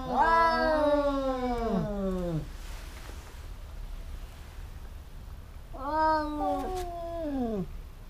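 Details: Two cats in a fight, a pair said to bicker constantly. A loud wavering yowl slides downward over two seconds. A quiet pause follows, then a second shorter wail rises and falls away.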